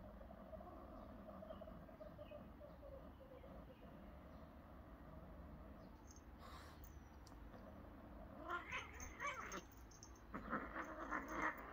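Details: Cats whose play turns into a fight again: a low, wavering drawn-out yowl murmurs through the first half, then harsh, noisy hissing and spitting bursts erupt twice near the end over steady background hum.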